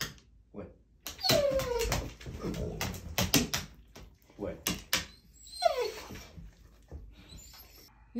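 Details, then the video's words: Walle, a German Shorthaired Pointer, creates a ruckus indoors when his morning walk is delayed; high sliding whines and yelps come in bursts between sharp knocks, with a man talking to him. "My dog reminds me we are late for our morning walk"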